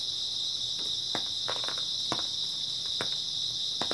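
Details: A constant high-pitched shimmering trill from many grass insects on an early autumn night, overlaid by a handful of brief dry clicks and taps.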